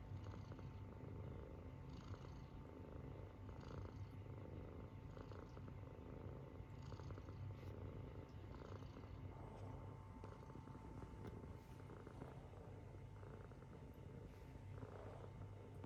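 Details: Munchkin kitten asleep and snoring; a soft, low rumbling drone continues under faint steady electrical hum tones.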